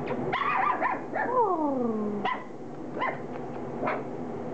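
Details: Standard Poodle puppies close to four weeks old at their first meal of mashed puppy food; high whining yelps sliding downward, a few short squeaky whimpers spaced about a second apart, with a woman talking just afterward.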